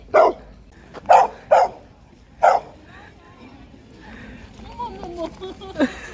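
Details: Maltese dog Jjangah on its first walk along the yellow autumn ginkgo-lined road in Asan, Korea: four short, sharp barks within about two and a half seconds, then quieter human voices.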